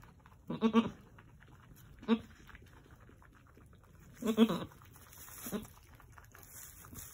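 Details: Angora goats at a farm, a doe delivering two red buck kids right before sunset on March 7, 2020; four short, low, throaty grunts come in pairs, about two seconds apart, over quiet hiss.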